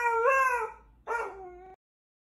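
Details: A husky gives two short howls, the first wavering and rising slightly, the second shorter and steadier, with silence after.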